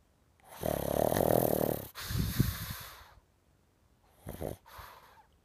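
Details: Max, a pug, snoring in his sleep while dreaming: a loud buzzing snore, a rougher snorting breath out, then two brief quieter snuffles.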